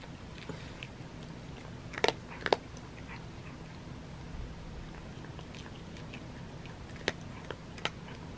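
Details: Butters the cat eating his crunchies indoors: sparse, irregular crisp crunches, with louder sharp bites around two and two and a half seconds and again near seven and eight seconds, over a low steady room hum.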